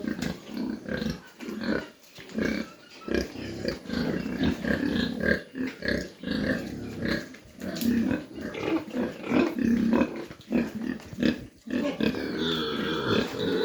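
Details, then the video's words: Mini pigs on a farm in Dimapur, Nagaland, giving rough, irregular grunts in uneven bursts with brief pauses between them. A steady background hiss runs throughout. "mini pig farm dimapur nagaland"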